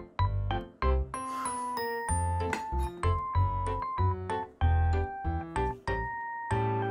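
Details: A bright, bouncy keyboard melody of plinking notes plays throughout, with no animal voice.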